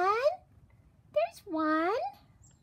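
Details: Oriental cat Romeo watching birds indoors gives two drawn-out, tonal meows, the first short and falling, the second longer with a rising then sagging bend, separated by a brief chirp-like squeak.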